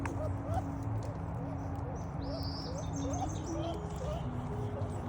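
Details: A squirrel, a newcomer of one to two weeks that now eats from the hand and acts assertively toward other squirrels, gives soft, short, rising chirps repeated every half second or so over a steady low hum.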